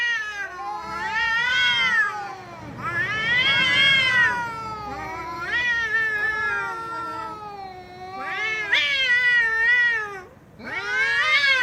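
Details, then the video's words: Loud, drawn-out cat meows, roughly one every two to three seconds, each a strained, arched wail rising then falling, the last one cut short. "Cats Meowing Loudly"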